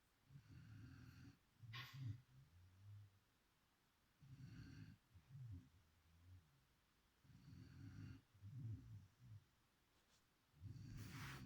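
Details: Beagle named Chipi snoring while asleep: rough, low rumbling snores come in bursts about every three seconds, each breath a cluster of grating pulses, with short quiet pauses between them and a faint sniff near the start.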